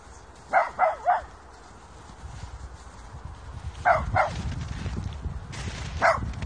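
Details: Short high yapping barks from a dog as a 5-month-old Kooikerhondje puppy meets Popo, a huge Tibetan Mastiff, at puppy school; a quick triple bark, a pause, then a pair and a single yip, over low rumbling background noise.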